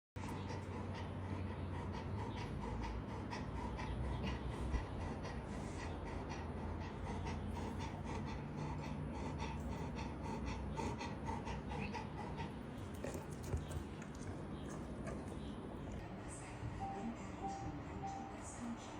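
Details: Golden Retriever named Mianbao, a plump show-grade pet dog dressed up as Snow White, breathing in steady rapid pants that continue throughout with little change, over a low background hum.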